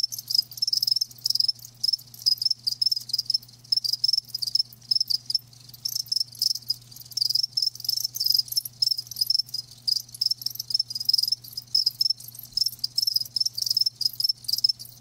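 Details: Crickets kept alive produce a steady chorus of shrill, fast-pulsed chirps in quick clustered bursts, overlapping callers creating an unbroken high trill, while a low electrical-sounding hum runs in the background.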